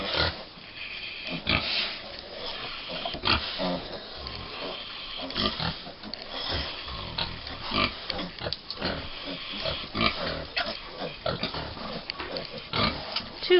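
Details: American Guinea Hog piglets, five weeks old, at Wood Prairie Family Farm, jostling around two sows at breakfast. Their high squeals and sharp grunts come in rapid overlapping bursts, with brief speech in the background.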